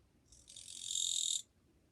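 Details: Japanese katydid song from 2 July 2023: a lone rasping buzz, high and shrill, that swells for roughly a second and ends abruptly, with calm surroundings.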